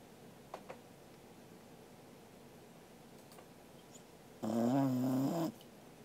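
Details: Welsh Corgi Angela snoring in her sleep, 13 August 2021. A few faint ticks are followed by a single loud, buzzy snore about a second long with a wavering pitch. Quiet background throughout.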